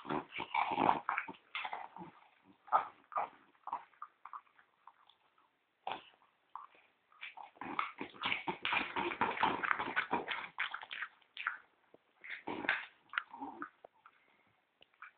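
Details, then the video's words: Pet French Bulldog, described as snoring like a human person, while asleep or pretending to sleep. Rough, rasping noises come in dense irregular bursts with short pauses, and some louder snorting grunts are mixed in. "Gordon Roncando"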